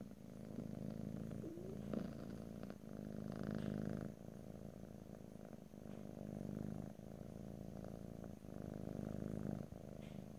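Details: Cat purring close up, continuous low vibrating rumble that rises and falls with breathing over ten seconds, a few faint soft clicks and small rustles in between, no talking.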